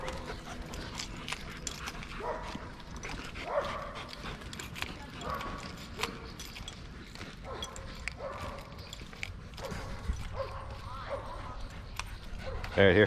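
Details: Puukko, a giant 11-month-old Lycan Shepherd, plays off leash on the 4th of July at a wilderness park along the Mississippi River; repeated short barks and yips sound through outdoor noise, with a man talking and praising the dog.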